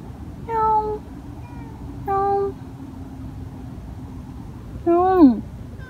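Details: Street stray cat crying over and over, encountered after work: three meows, the first two level and flat, the last bending up then sliding down, with a constant low hum underneath.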